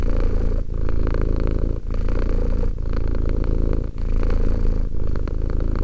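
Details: Romek, a two-year-old cat, purrs in low rumbling phrases about a second long, separated by short breath gaps, steady and close with no other sounds.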